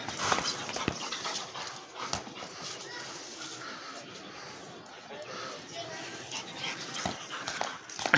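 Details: Pit bull dog panting during play: a steady, breathy, rasping noise fills the stretch, with people talking nearby and a few sharp knocks.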